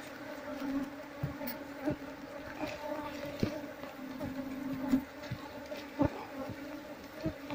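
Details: Asian honey bees from a long-neglected nest in a traditional Seluma house, combs being removed for transfer; low continuous hum with repeated sharp taps and knocks throughout.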